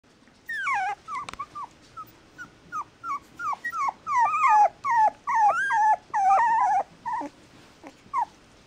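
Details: :Mixed-breed puppy whimpering in a quick run of high, falling whines, each sliding down sharply, some with a wavering bend, coming more than twice a second with short gaps between.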